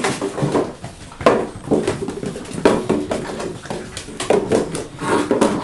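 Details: Play session of 6.5-week-old German Shorthaired Pointer pups, the Sophia and Diego litter, in a small indoor space: short tonal growls and whines come in bursts between clattering knocks and scrabbling paws.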